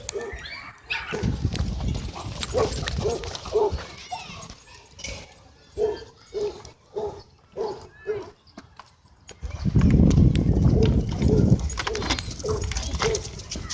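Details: Dogs at play in a dog park on a Friday evening; a steady string of about eight evenly spaced barks rings out mid-clip, framed by human voices and heavy rustling noise before and after.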